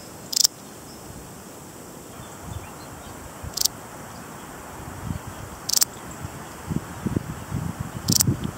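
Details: Balearic saddle bush-cricket (Parasteropleurus balearicus) giving four short, hissy, high-pitched chirps spaced two to three seconds apart over a low rumbling background, with faint rustling toward the end.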